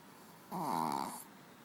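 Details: A single drawn-out snore from Manja, a pet dog asleep on a bed: one raspy, vibrating inhalation lasting about three quarters of a second in a quiet room.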